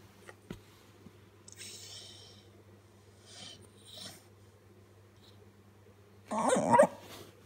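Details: Blue English Staffordshire Bull Terrier puppy being tickled: soft breathy huffs and rustling movement, then a brief loud harmonic growling bark-like burst near the end, over a steady low electrical hum.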